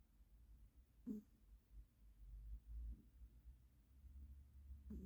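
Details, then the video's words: Ginger pet cat Moses, described as snoring fairly loudly while asleep, gives soft low rasping breaths, with slightly stronger snorts roughly every two seconds over a quiet indoor background. "Snoring cat / Кіт-хропун"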